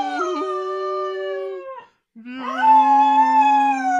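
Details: Pet Cocker Spaniel singing along with its owner, giving two long, smooth, tonal howls: the first held level before fading out, and after a short gap the second swells upward into a steady, strong sustained note.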